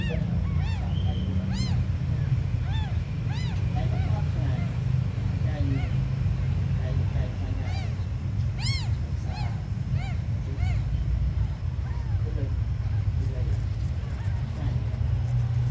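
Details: Tiny abandoned kittens give scattered thin, rising-then-falling mews, some in quick pairs, while a loud low droning hum fills the background.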